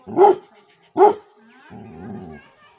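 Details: Labrador Retriever female defending her territory in a Tehri Garhwal village, Uttarakhand: two sharp, loud barks close together, followed by a lower, drawn-out rumbling sound.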